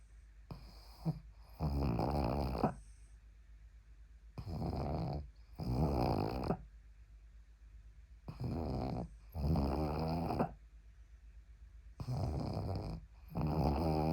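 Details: Pug asleep with its head resting on a person's arm, snoring loudly indoors: rough, rattling bursts in pairs, each cycle about every four seconds, with near silence between breaths.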